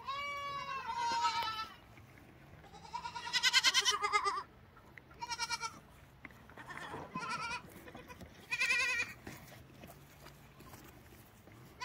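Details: Several lambs give quavering bleats, some high and harsh, others softer, arriving in short bursts every second or two over a faint low hum.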